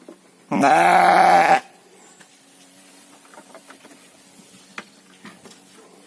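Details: A single loud, wavering bleat lasting about a second from a farmed sheep raised for three-month fattening in Indonesia, followed by low rustling and faint clicks in a quiet pen.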